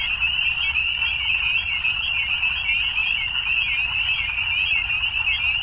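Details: Frogs at evening keep up a thick chorus of bright, rapid trills, overlapping voices wavering slightly in pitch over a steady background of faint low noise.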